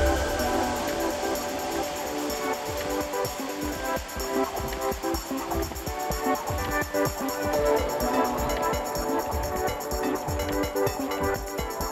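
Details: Loud rhythmic music with a steady beat and sustained tones plays throughout, with no animal sound audible.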